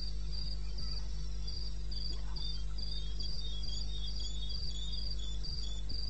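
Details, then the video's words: Eastern Botswana wilderness at night, 2:30 am on 21 May: crickets give high, clipped chirps at a steady quick pace, a second weaker chirper slightly lower, a few soft thumps and a persistent low hum behind. "1 Hour cricket sound"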